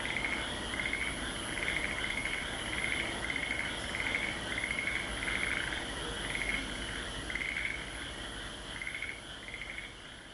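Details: A frog chorus in Aso: many overlapping, high, rattling trills repeating in quick, steady bursts.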